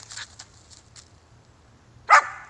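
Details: Female West Siberian Laika on her first solo squirrel find while hunting; after quiet rustling, one loud, sharp, harmonic bark bursts out near the end.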